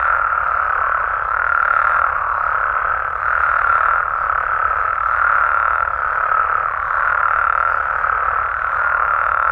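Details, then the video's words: A night chorus of frogs and toads in Mexico: constant, overlapping trilled calls at mid pitch, swelling in slow waves every couple of seconds over nearly ten seconds. "Mexican Frogs & Toads Sounds"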